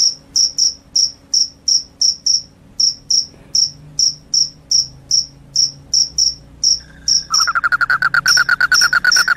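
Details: Loud chirping of a cricket, said to chase away rats and cause drowsiness. Evenly spaced high chirps give way at the end to a fast, lower, buzzing trill layered beneath continuing chirps.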